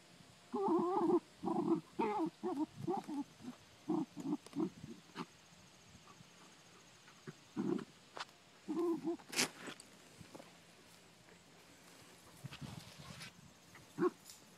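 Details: Dachshund hunting for groundhogs on a farm; a series of short, low, rough barks or grunts in quick bursts for about five seconds, then scattered barks after a pause, with quiet background noise.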